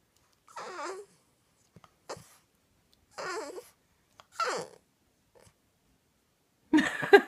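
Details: French Bulldog at night, protesting at being put to bed early, makes funny noises: four short wavering, whiny grumbles with breathy rises, separated by pauses, ending in a louder strained vocal burst, indoors in a quiet room.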